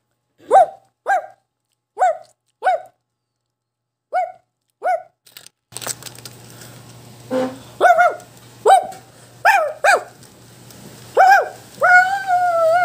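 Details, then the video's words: A Shih Tzu yaps in quick, evenly spaced bursts. A second dog, Hichang, lives in the same home. Partway through, a steady low hum and background noise begin, and the sharp barks continue over them, some slightly drawn out. "Shih Tzu Is Barking"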